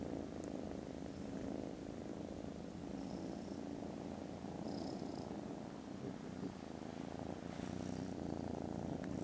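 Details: Very loud purring from contented foster kittens snoozing after lunch indoors, 18 December: an unbroken deep rhythmic rumble holding steady throughout, with a few faint soft high clicks and rustles above it.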